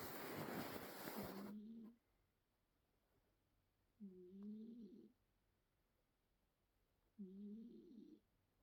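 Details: Loud rustling opens, then a sleeping cat's snores follow: short, tonal, faintly whistling breaths recurring about every three seconds against a quiet indoor background.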